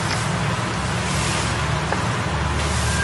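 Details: Steady low engine rumble and broadband noise, with no animal voices.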